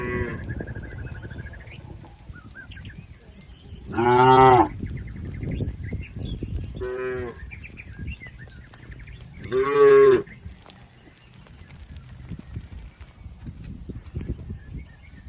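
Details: Herded cattle crossing a river on the way to the pen give two loud, short bellowing moos several seconds apart, with a faint earlier call, over rustling, splashing background noise and faint bird chirps.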